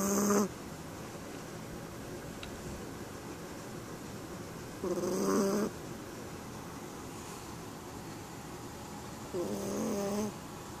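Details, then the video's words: Chihuahua asleep while dressed in onesie pyjamas, snoring: three short rasping, nasal snores spaced about five seconds apart, with soft steady background hiss between them. "Snoring Chihuahua"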